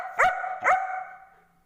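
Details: German Shepherd named Angel barking while arguing with its owner: two loud, sharp barks about half a second apart, each a rising harmonic yelp that leaves a ringing tail behind it.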